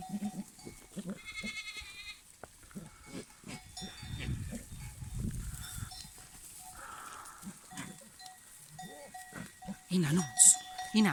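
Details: Rough rutting bucks courting females, with several males sometimes chasing the same doe: a short harmonic bleat, then a run of deep grunts and a nasal blurt, with cowbells clanking and brief human sounds.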